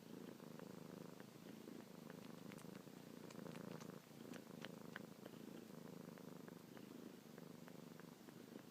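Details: Young domestic cat Luna, suckling a finger each night and morning, keeps up an unbroken low, throbbing purr; sharp little suckling clicks stand out, especially midway.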